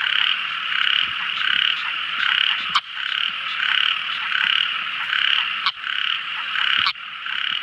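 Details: Tiny frog at night within a dense chorus: a continuous high, pulsing trill that swells and fades every second or so, with only a few sharp click notes breaking through.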